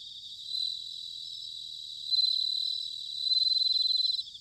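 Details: Bell cricket in autumn, Sanuki, Chiba, Japan: a short soft ringing note, then two longer loud bell-like trills with fast pulsing, over a steady background of chirping crickets.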